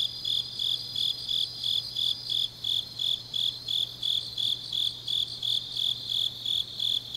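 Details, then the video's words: In Changnyeong, South Gyeongsang, grass insects call on a deep autumn night: sharp high chirps repeated rhythmically about three each second against a sustained metallic trill and a low background hum. "깊은밤 가을 풀벌레 소리"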